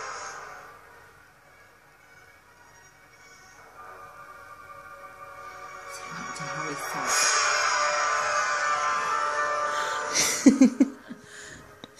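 Music and speech from a television play in a small room, with no clear animal sound.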